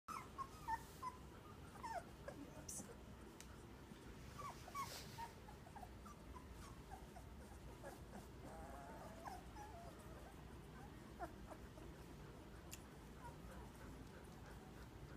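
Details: Two-week-old puppies of one litter making faint, thin whimpers and squeaks, short chirpy notes scattered through the recording over a low steady background hum.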